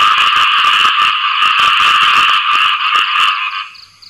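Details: Khiat i-mo frog calling for a mate after rain, a loud, dense, rapidly pulsed rattling croak held steadily for over three seconds before it fades away, with faint higher chirps near the end.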